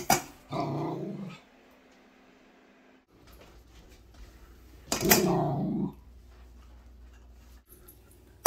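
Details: Shetland sheepdog puppy, female, warning the cats off her dinner indoors: two long throaty growls about four seconds apart, each starting with a sharp burst and holding a low rumbling tone for roughly a second.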